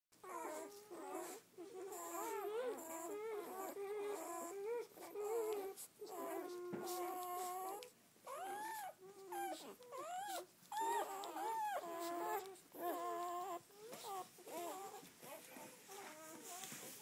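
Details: Red-rust Doberman Pinscher puppies, a litter of seven females and four males born 7-12-10, on their first day out: dense overlapping high whimpers and squeals with wavering pitch, many pups calling at once, steady chorus with brief pauses.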